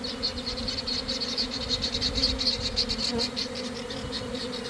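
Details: Inside a developing honey bee swarm leaving a hive in a garden, early afternoon after a cold, damp week. A dense, even drone holds throughout, with rapid whining passes of individual bees flying close by, many per second.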